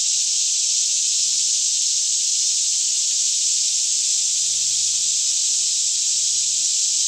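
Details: Cicadas in a daytime chorus fill a green forest near Franklin, Kentucky, around 10am in still air; an even, shimmering high buzz holds without pause, with soft low rumbling underneath. Stereo capture on a Canon 5D Mk2.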